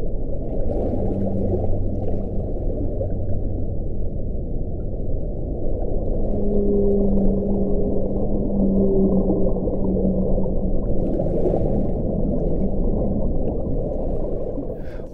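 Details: Underwater whale sounds, possibly large baleen whales, with low, drawn-out moans and tonal hums over a steady underwater wash.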